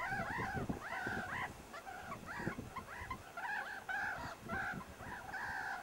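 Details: Meerkats playing rough, tumbling at the Kalahari Wildlife Sanctuary: a steady run of short arched, harmonic squealing calls, each rising then falling, packed closely over soft scuffling noise.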